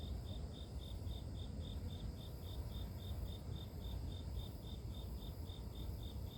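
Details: Insect of the grass keeps up regular short high chirps, roughly four per second in an unbroken even series, set against constant deep rumbling noise, from a calming nature soundscape.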